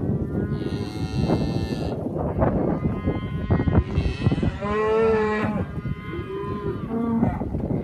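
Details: Polled Hereford cows from a group of seventeen give a deep, drawn-out moo with strong harmonics, midway through, after a shorter lowing call, amid clattering, knocking and shuffling noises from a busy pen.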